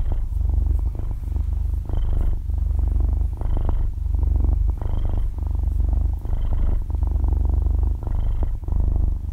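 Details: Half-year-old kitten purring loudly while asleep, recorded at very close range in stereo; a deep, continuous motor-like rumble swelling and easing in breath-length phrases about every one and a half seconds, with no speech or music.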